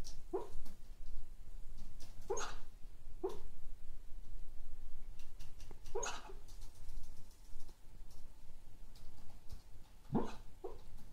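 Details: Sleeping cocker spaniel dreaming indoors, letting out scattered stifled woofs and yips separated by pauses of one to four seconds, with a steady low background hum throughout.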